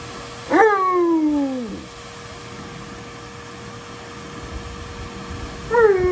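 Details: Giant Alaskan Malamute, unhappy and crying, with a long descending whine lasting over a second followed after a pause by a short rising cry.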